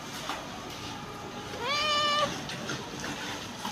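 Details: Calico cat giving one melodious meow lasting about half a second, opening with a brief rise and then holding a steady, richly harmonic tone before cutting off, over a low indoor hum.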